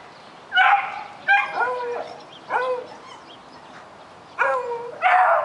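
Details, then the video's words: Daisy, a puppy, barks at a rabbit she wants to catch, giving five loud yelping barks with falling whiny tails, spaced unevenly with a quiet gap in the middle. "Daisy Puppy barking at the rabbit"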